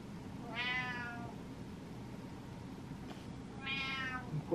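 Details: Two clear, tonal meows roughly three seconds apart from Butters, a cat grown impatient while waiting for its owner; faint low hum in between.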